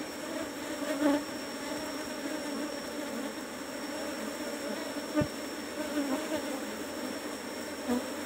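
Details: Asian honey bees (Apis cerana) buzzing around hive box number 17 while honey is taken. A long, even, moderately quiet drone carries faint surges about every second or two, and a single sharp knock occurs near the end.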